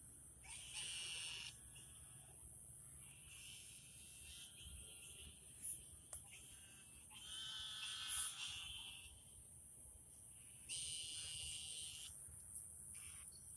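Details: Lots of very vocal frogs out at night in a garden, about to eat the bugs: buzzy, trilled bursts about a second long swell and fade in overlapping waves over a steady high hiss.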